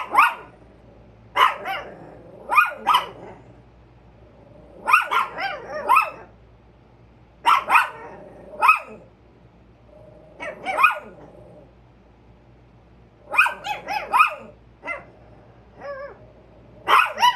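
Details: Pet Chihuahuas alerting on a squirrel give bursts of shrill, rapid barks in clusters of two to four, pausing briefly between volleys, some yips slightly tonal, steady low background hum.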